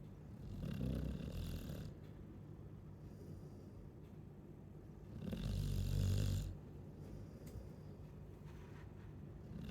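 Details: Chow Chow snoring: two deep, rasping snores, each lasting about a second and a half, separated by a quiet pause of steady low breathing.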